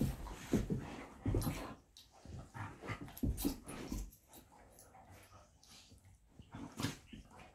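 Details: Two elderly pet dogs, a 13-year-old golden retriever and a 14-year-old kelpie, nagging for their walk indoors; dense low growly bursts in the first four seconds, then quieter snuffles and a final sharp vocal burst.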